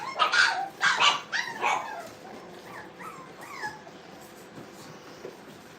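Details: Brittany puppies at playtime in a training kennel: a burst of loud, rough yips and barks in the first two seconds, then softer rising whines and squeaks trailing off over a quiet background.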